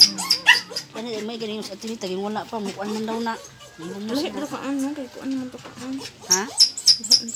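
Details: Doberman giving birth: a long run of wavering, high whining whimpers rising and falling in quick succession, broken by short pauses, with sharp squeaky bursts near the start and end.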